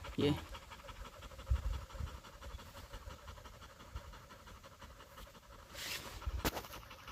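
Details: Rapid, steady panting from a husky following a pregnant deer's trail in mountain woods in South Korea; soft, even breaths continue throughout, with a brief voice at the start and rustling later.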